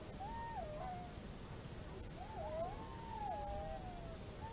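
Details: Wolves at Kulgur, Estonia, recorded on 27 December 2017, howling in several overlapping, wavering tones that glide up and down, faint against steady background hiss.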